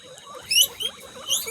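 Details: Pet guinea pig kept at home, filmed for a birthday celebration, giving short high whistled squeals that sweep steeply upward, three bursts within about a second, over a faint background hum.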